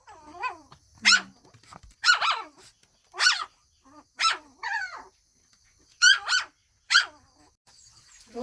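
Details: Shih Tzu dogs at daytime while playing and eating, giving sharp, high yappy barks, about eight separate barks with gaps, some in quick pairs, a faint steady hum behind.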